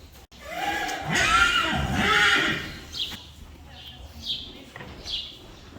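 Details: Friesian horse at a stable where the foals are tied up and dewormed. A rising-and-falling whinny lasts about a second and a half, followed by fainter short calls. A person speaks in the background.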